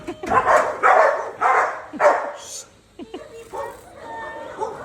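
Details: Belgian Malinois, from the pair Luna and Dax, letting out four loud, harsh barks about half a second apart, followed by a pause and a few fainter yips, with people talking nearby.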